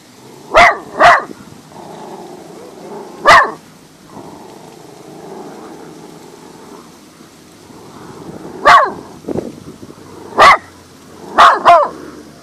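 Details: Max the dog barking up at something in the sky: loud, sharp barks in short bursts, a quick double, a single, then pairs, separated by quiet gaps over a faint background hum.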